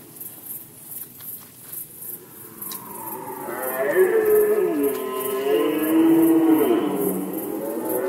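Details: Poland, 2020 rut season: after a few seconds of quiet knocks, a red deer lets out a long, swelling roar that climbs in loudness and wavers in pitch before tailing off.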